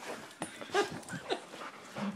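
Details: Cody, a pet dog agitated by the noise of an iPhone camera, gives short, high whimpering yips, one sharp and then another about half a second later, with a lower yelp near the end, over faint room noise.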